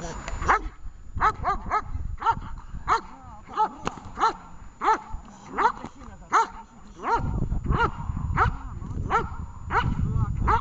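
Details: Vesta, a dog in a training session in Horlivka on 20 July 2019, barks over and over in sharp, clipped bursts of one or two barks each, about every second. A person's voice and low rumbling noise come in near the end.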